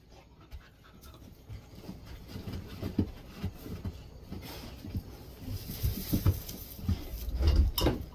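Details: Golden Retriever resting indoors in a cool air-conditioned room on a hot summer day, breathing in soft, rapid panting puffs, about four per second, growing louder toward the end; low thumps and handling noises in the room.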